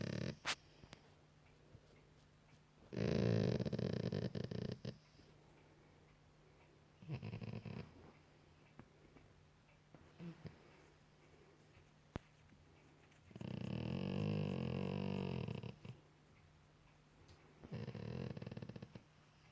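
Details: At night on a couch, a Golden Retriever being cuddled and scratched beneath his ears gives deep, rumbling snort-like groans in bursts of a few seconds, with quiet gaps between.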